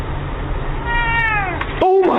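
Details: Domestic cat gives a drawn-out meow that rises and then falls, quickly followed by a shorter second meow, over a steady low background hum.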